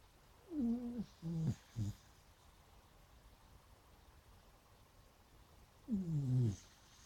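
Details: Sleeping beagles snoring and dreaming: three short, wavering whimpers in quick succession, then a quiet pause before a longer, falling, moaning whine near the end, all in a quiet indoor room.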